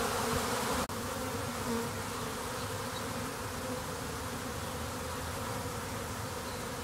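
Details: Honey bee swarm recorded from within the flying mass: a thick, unbroken humming drone with a brief click near the start, bees circling to shield their queen before clustering while scouts seek a new hive.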